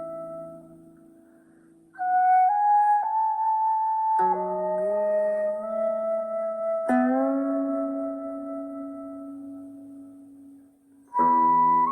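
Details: Gentle instrumental music with sustained flute-like notes moving in slow steps over plucked strings; no animal calls.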